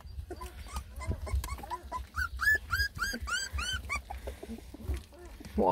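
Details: Complaining whimpers from Rensie's ten Beagle puppies, lemon and tricolor, at their first meal of food: scattered soft whines building to a cluster of louder, curved cries mid-clip, with a woman speaking and faint background noise.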